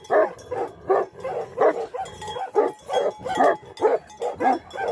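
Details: Bhote Kukur, or Tibetan Mastiff, a livestock guardian dog from Nepal. It barks steadily with coarse, deep woofs, roughly two per second and with little pause.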